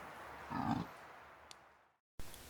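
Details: In October rutting season in the New Forest, a dominant fallow deer buck with his harem gives a single deep, belching rutting groan, a short guttural grunt.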